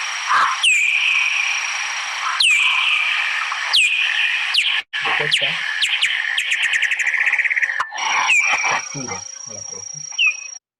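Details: Bat echolocation made audible and replayed: steady pulses while searching for food, speeding up on detecting an insect to locate and capture it. Descending hooked sweeps recur every second or so, a rapid accelerating pulse series mid-way, then sweeps resume over a steady high tone.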